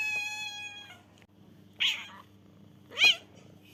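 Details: Black kitten giving two short, high, squeaky meows about a second apart, preceded by a steady flat electronic-sounding tone that fades out; quiet background otherwise.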